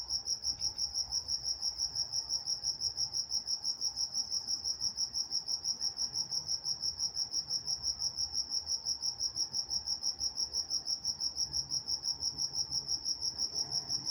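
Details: Night-time crickets in Walnut, California keep up an even, shrill chirping, regular pulses roughly three per second, carrying on without a break over a soft, low background hush.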